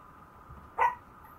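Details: Maltese puppy giving one short, high, sharp yip-like bark of about a fifth of a second, set against a steady low electrical hum, with quiet before and after.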